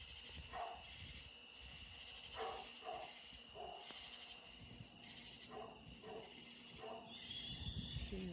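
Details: Dog barking at nearby deer on a summer night, with short, distant barks spaced irregularly, several in quick pairs. Crickets and other insects keep up a steady high trill throughout.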